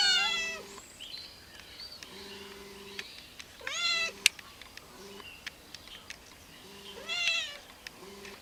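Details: Feral cats waiting for food give short, arched meows near the start, at three and a half seconds and around seven seconds, separated by quieter stretches with faint steady hums and scattered clicks.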